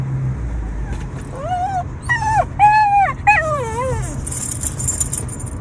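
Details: A Shiba Inu dog cries out longing for a female, giving four drawn-out, wavering whines over about three seconds, some rising then falling in pitch, over a steady low hum.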